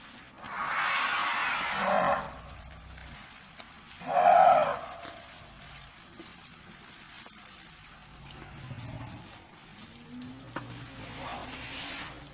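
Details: African elephant giving two loud, harsh, broadband blasts, the first drawn out for over a second, the second shorter and sharper a few seconds later, then a stretch of quieter low rumbling and faint scattered calls to the end.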